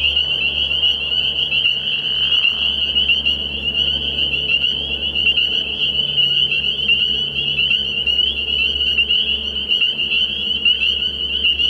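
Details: Night-time early-year frog pond full of spring peepers, a constant piercing chorus of overlapping high peeps, with a low hum and faint deeper sounds underneath.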